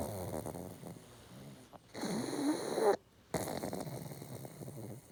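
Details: Pug snoring from a household with two pugs: buzzy, fluttering breaths that rise into a louder rasp, a brief silent gap, then the rough snore resumes.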